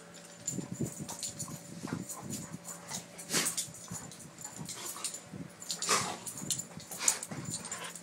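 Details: Doberman play fighting indoors during a game: irregular low grunts and throaty growls, with breathy huffs and snorts, scattered unevenly over several seconds, above a faint steady hum.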